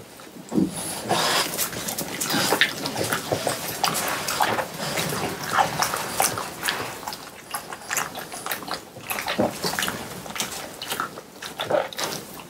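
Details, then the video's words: French Bulldogs, three of them, munching watermelon at home on a hot summer day, dense juicy crunching and smacking that runs almost without pause, loud and close. "강아지 먹방 ASMR 여름이 가기 전에 수박을 먹어보았어요 ~ 프렌치불독 팡 쿤 뽀 수박 먹방"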